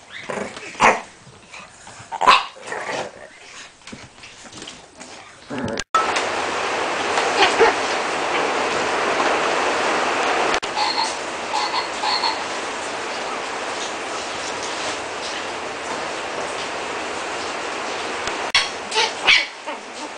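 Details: Shih Tzu puppies, chocolate (liver) and white, born 19 April 2010: a few short, sharp yips and barks scattered through the first six seconds, then a steady broadband hiss carries on to the end.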